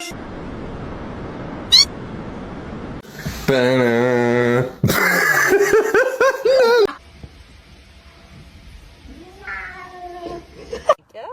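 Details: Kittens meowing: several drawn-out, wavering meows that rise and fall in pitch in the middle of the recording, with a fainter meow near the end, a loud buzzy harmonic burst just before them, and brief human voices.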